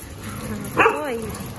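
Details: Pet golden retriever, one of two at home, gives a single sharp yelp followed by a thin whine that slides downward and fades, over quiet room noise.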